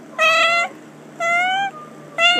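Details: Trixie, a pet cat, gives three loud, clear meows about half a second long. Each is evenly pitched with a slight upward lift and strong harmonics, separated by short quiet gaps over a steady low hum.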